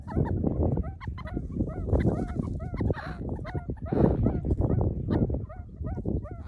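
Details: Meerkats using a person as a vantage point and treating them as part of the group; many short, hooked chirps repeat rapidly over a steady low rumble of rustling and handling noise.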